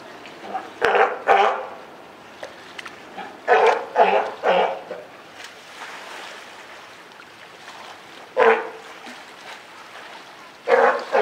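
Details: California sea lion mother with her newborn pup at Higashiyama Zoo and Botanical Gardens, Japan, on Wednesday, June 28, 2023. Hoarse, harmonic bleats come irregularly, about six short bursts separated by quiet gaps.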